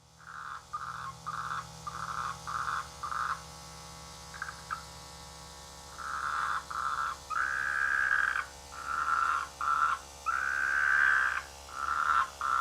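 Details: Frogs croaking in rice fields near a village during the rainy season, a chorus of mid-pitched, buzzy droning calls in bursts of about half a second to two seconds, with a low steady hum underneath.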